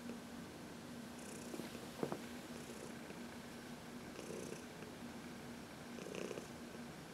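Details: Senior cat Heidi, fourteen years old, purrs while receiving a massage in the sun in March; continuous low droning purr with gentle breathy swells every couple of seconds and a brief click near the start.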